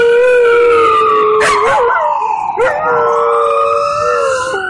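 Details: A distressed dog on a New York City street howls in reaction to a loud siren, long sustained tonal notes holding steady then sliding, with short breaks, over the wailing siren and city noise.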